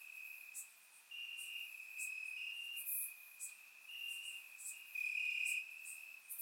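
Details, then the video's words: Night chorus of crickets in grass, Bulgaria, warm summer night, surround microphone: several overlapping high, even trills run almost without pause, loudness rising and dipping, with quick sharp ticks higher up. "Cricket Sounds - Crickets Chirping at Night"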